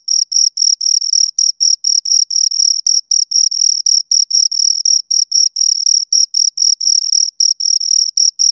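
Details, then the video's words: Two crickets heard right at the microphone, producing a continuous series of thin, high chirps at roughly 240 per minute, rhythmic but slightly irregular, without background noise. "Two Crickets Chirp Sounds"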